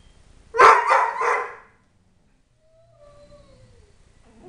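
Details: {'text': 'Pet Dobermann Tyson, age three, lets out one loud, harmonic, quavering yodel lasting about a second in a happy burst, then a faint, long, downward-sliding whine.'}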